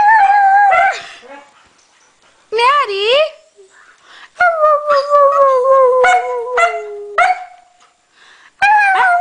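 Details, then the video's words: Maddie, a Norwegian Elkhound, sings along with a Husky: long sliding howls, one wavering up and down, another drawn-out and gently falling, broken by quick sharp yelps and quiet gaps with faint human voice. "Norwegian Elkhound Maddie sings with Husky"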